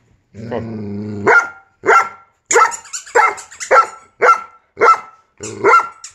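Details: Giant Schnauzer reacting to a squeaky sound: a low, drawn-out growling tone opens, then loud, sharp barks follow in a steady run, about two per second, each with a bright, ringing edge.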